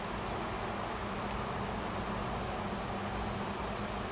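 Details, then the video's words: Steady hum of a wild honey bee swarm at a farm tree in Washington: workers that left the hive with a new queen, looking for a new home, produce an unbroken, low, buzzing drone. "Swarm of WILD HONEY BEES & NEW QUEEN"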